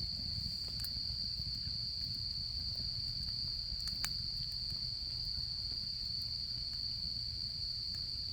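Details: Autumn insects at a campsite, singing a steady, unbroken high-pitched trill that runs through the whole stretch, with faint campfire crackles and soft low rumbling underneath.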